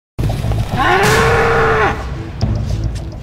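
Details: Wild bull that attacked and butted down two men, letting out one sustained, steady, tonal bellow lasting about a second, with a smooth rise at the start and a drop at the end, followed by rustling and background noise.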